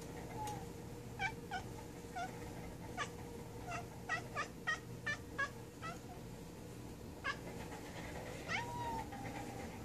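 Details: A male pet cat talks to flying bugs while hunting them, making a run of short clipped chirps and chattering clicks, roughly a dozen in quick irregular bursts, closing with a longer rising-then-falling meow.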